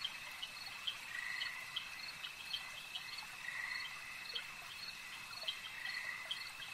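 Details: Frogs calling at a lake amid nature ambience: short mid-pitched croaking bursts surface every second or so over a steady, high, unbroken insect-like drone, with faint clicks scattered throughout.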